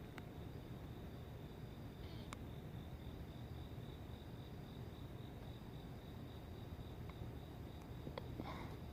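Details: Crickets at dawn on 29 July, near the end of the rainy season, give a thin, steady high trill that runs almost unbroken, over low background rumble with a few sharp clicks.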